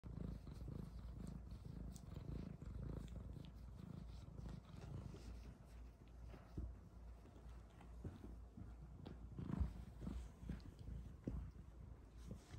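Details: F1 Bengal cat Luna, half wild with an Asian leopard cat father, playing with her F2 silver Bengal kittens; a soft, continuous low rumbling purr fills the recording, with faint scattered clicks and rustles.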